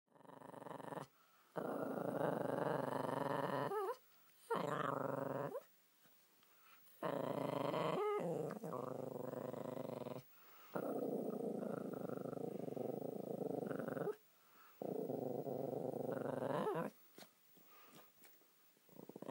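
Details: Josie, a pet Spitz indoors, moans in a long, droning, growly hum, sustained for several seconds at a time in repeated stretches broken by short pauses, with brief rising yelps between phrases.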